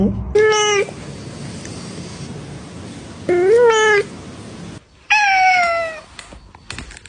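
Three distinct meows from a domestic cat come about two seconds apart, each clear and harmonic. The middle one swells upward in pitch, the final one falls away, over a steady low background hiss.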